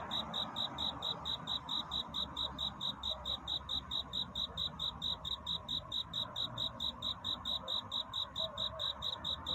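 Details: Cricket's love song in the dark before dawn: clean, high-pitched chirps of steady rhythm, about 2.3 a second, with gentle background murmur.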